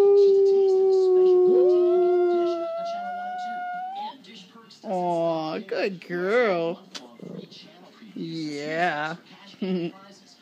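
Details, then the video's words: Pet dog howling indoors when prompted by its owner: a long, steady, tonal howl that bends upward and fades out, followed by the owner's affectionate speech. "Getting my dog to howl."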